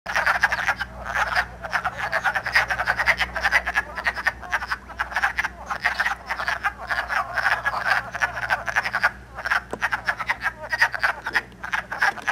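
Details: On March 3, 2012 in Elmer, New Jersey, many wood frogs calling and mating early in the year give a steady chorus of short, hoarse, overlapping clucking croaks like distant quacking ducks, with a faint low hum underneath.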